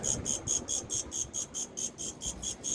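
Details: Beijing jewelry shop crickets on a Friday evening, chirping in a steady train of bright, shrill pulses roughly four to five per second, with soft murmur and shop noise underneath.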